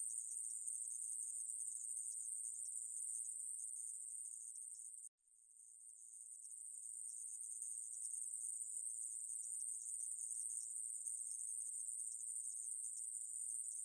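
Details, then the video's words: Continuous shrill buzzing of a coneheaded katydid (애매부리), 2020 recording, broken by one brief pause near five seconds before resuming as an even, very high, hissing drone. "애매부리, 여러번 듣기, 곤충소리"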